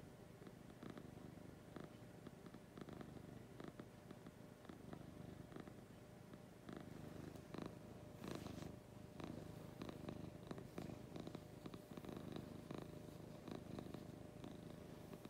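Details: Domestic cat Lucy purring in the morning: a low vibrating rumble swelling and easing with her breathing, with brief rustles and soft knocks, louder shuffling around the middle.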